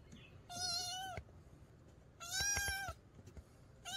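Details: A cat gives two drawn-out meows about two seconds apart, a sound used to drive away rats in the countryside. A low background hum runs throughout, and a third meow starts at the end.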